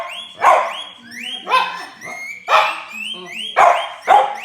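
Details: French Bulldog listening to whistling and answering it with short, harmonic, yowling vocal bursts roughly once a second. Rising human whistles alternate with the dog's sounds.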